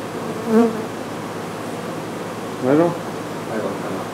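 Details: Honey bees at an exposed hive in a house patio in McAllen, Texas, during removal and relocation; a dense steady buzz fills the clip, with short voice sounds breaking through twice.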